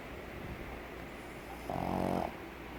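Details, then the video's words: Pug snoring, a flat-faced breed whose airflow through the muzzle causes noisy breathing; one low rattling snore swells for about half a second over steady background hiss. "PERRO PUG RONCANDO // COMO RONCAN los PUG"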